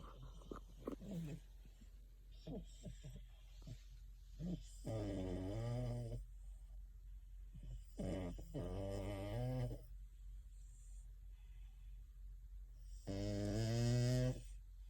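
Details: French Bulldog sound asleep and dreaming while cuddling with another French Bulldog indoors. Its eyes flutter. Three drawn-out, nasal, rumbling snores come roughly every four seconds, with soft snuffles and faint clicks between them.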